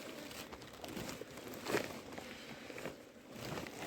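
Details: Footsteps and crinkling rustles, with faint voices in the background and no animal calls.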